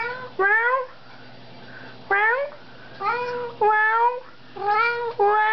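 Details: Pet cat in a small room, meowing at its owner in the evening; roughly seven drawn-out tonal meows with rich harmonics, several bending upward at the start, coming in uneven pairs and singles over a low background hum.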